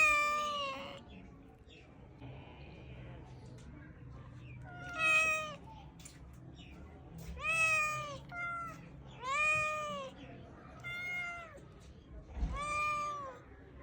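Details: Kitten meows in a loose series: about six high, wavering mews, some rising then falling, separated by short pauses, with faint room noise and soft rustling between calls.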